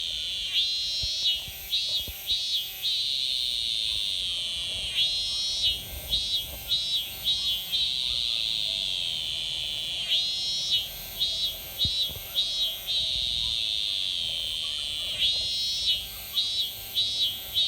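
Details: A Japanese cicada (semi) sings in summer, its shrill, buzzing song coming in pulsed phrases that repeat roughly every five seconds.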